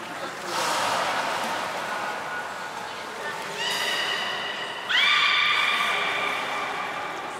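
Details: Port of Nagoya Aquarium, 7 October 2018, belugas Nana and Niko in a training session: murmuring voices first, then two sustained harmonic whistles, the second starting with a sharp upward sweep and held for over two seconds.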